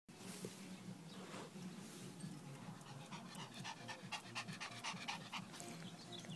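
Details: Pet dog described as acting strangely, breathing in fast, rhythmic pants over steady background hiss, with short, irregular breathy bursts growing busier toward the end.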